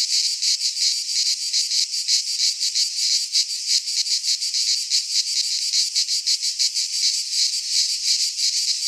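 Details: Midsummer chorus of cicadas in a pine forest in Greece, a continuous shrill buzzing that swells and fades in quick regular pulses, roughly three per second, steady throughout.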